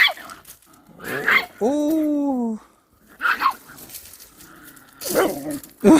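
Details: Dogs: a country dog and a visiting city puppy meeting and play-fighting in the countryside. A drawn-out tonal whine lasts about a second and falls slightly at its end, framed by short sharp yelps, with people talking and laughing throughout.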